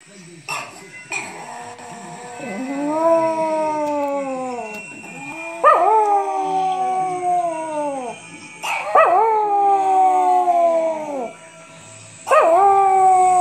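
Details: Chihuahua, a small dog, howling in response to ringing bells: four long, wavering, tonal howls, each starting high and sliding slowly down. Sharp bell strikes mark the start of each howl, with a steady high ringing tone throughout.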